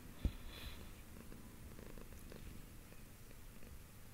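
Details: Pet cat purring as it is stroked, a deep continuous rumble pulsing rapidly and evenly, with one sharp click near the start.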